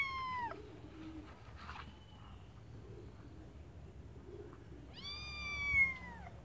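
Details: Kittens in a white bucket: one high, clear meow fading away at the start, then after a quiet gap a longer, strained meow that drops in pitch near the end, over a faint low background hum.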